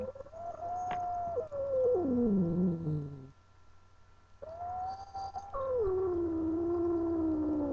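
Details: Female pet cat yowling because she did not want to be held: long drawn-out, wild-sounding moans that hold steady then slide downward, two sustained calls separated by a brief pause, with a low background hum.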